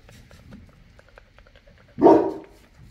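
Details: Boerboel, also called South African or African Mastiff, one of a pair living in Egypt; a single loud, deep bark bursts out near the two-second mark after quiet indoor clicks and shuffling.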